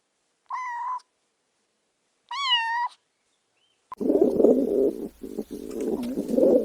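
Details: Kittens chasing butterflies on grass give two short, clear meows, then a burst of loud, rumbling broadband noise covers the rest of the recording.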